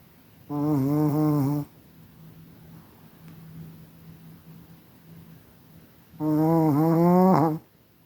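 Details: Kira, a gentle snoring Chihuahua living in Moscow, raised at the Kastropulo Chihuahua kennel in Crimea: two drawn-out, tonal, nasal snores of about a second each, some five seconds apart, with a faint steady hum between them in a quiet room.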